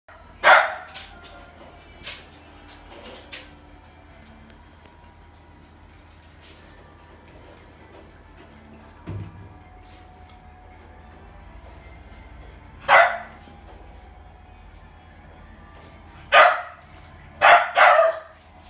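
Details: Red-coated female Shiba Inu puppy born July 2017, in a pet shop: a few short sharp barks, one near the start and a cluster of three toward the end, separated by long quiet gaps with faint background noise.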